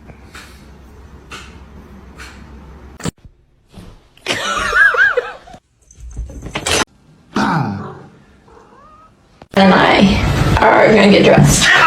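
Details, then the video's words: A house cat meowing amid household noise. Quiet, scattered clicks and knocks open the recording, then a wavering, harmonic meow arrives midway. It is followed by a brief falling call and a burst of loud broadband rustling at the end. "funny cats talking"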